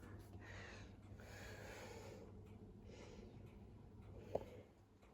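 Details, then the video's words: Female cat with chronic asthma, abandoned with her sister in a garden, playing with her toy indoors; quiet, breathy rasping wheezes come in repeated bursts roughly every second, over a low steady hum, with one brief sharp tap near the end. "Asthmatic cat plays with her toy"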